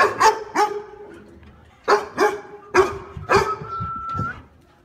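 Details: A Miniature Pinscher runs and gives sharp, high, yappy barks in irregular bursts on seeing a stranger.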